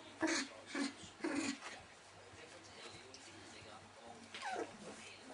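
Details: Nineteen-day-old Welsh Springer Spaniel puppies giving three soft, tonal whimpers in the first second and a half, then quiet, with a brief falling whine near the end.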